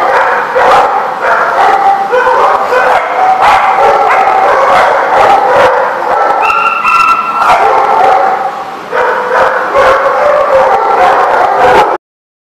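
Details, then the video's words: Dense chorus of many dogs barking and yipping at once, overlapping barks throughout with a brief high whine in the middle, ending abruptly. "The Barking Lot"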